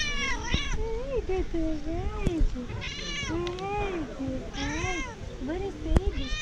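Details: Mother cat recognizing her owner from far away, calling outdoors: repeated drawn-out meows, each rising then falling, about one every second and a half, with a person's voice and low background rumble.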